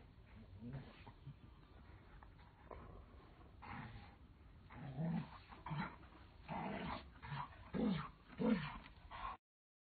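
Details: Doberman Pinscher puppy playing with its mother and father, giving soft, faint whimpers and small yips in short bursts that come more often and grow louder toward the end.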